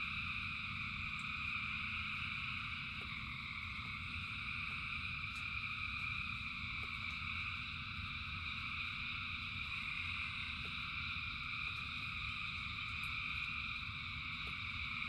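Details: Rain-time chorus of thousands of frogs, a seamless high-pitched trilling wall that holds steady throughout, accompanied by continuous low rumble and sporadic faint clicks or drips.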